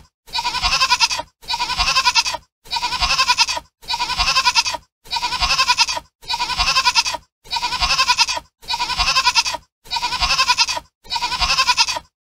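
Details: In Sri Lanka, a grazing goat bleats over and over, with ten rasping, roughly second-long bleats in an evenly spaced, almost mechanical series, each separated by brief silence.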